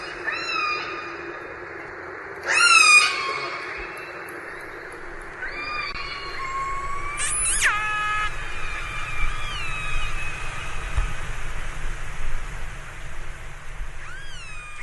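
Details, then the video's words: Several orca calls over about fifteen seconds: stacked, nasal tones that hold, then leap abruptly high and fall, with some rising and falling whistles in between. A constant low underwater hiss runs beneath. "Som da Baleia Orca - Whale Sound Effect"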